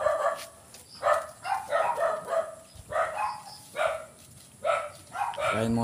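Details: Young goats bleat while being given B-complex shots. Loud, harmonic cries come roughly every 0.7 seconds in a steady series of about seven calls, each short and slightly quavering.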